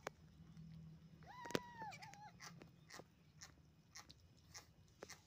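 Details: Kitten eating steamed shark meat whose sticky flesh clings to its mouth; a single short, wavering meow rises and then falls partway through, surrounded by wet chewing clicks and smacks over a low steady hum.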